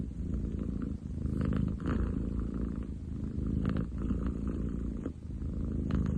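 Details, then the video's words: Ten chan, a long-legged munchkin boy cat, gives a heavy, growly purr on 30 July 2023, deep pulsing rumble alternating between inhale and exhale roughly every second. "工事現場並みに喉を鳴らす猫。Cat purr like construction site!?"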